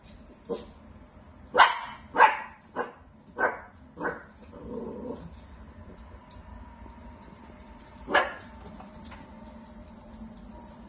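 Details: Dachshund, a playful wiener dog, gives a run of sharp barks, about five in quick succession, then a pause and one more loud bark near the end, over a low background hum.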